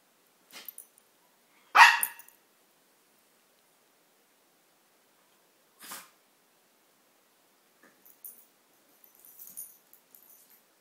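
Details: A Maltese dog plays with its companion Siamese cat and gives one loud, abrupt bark, followed by a few softer, clipped sounds and small rustles in an otherwise quiet setting.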